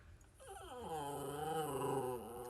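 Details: Pet dog 'talking' back indoors while being scolded by its owner: a drawn-out vocal moan that slides down, then holds a steady, tonal, rich-harmonic growl-whine for about a second and a half.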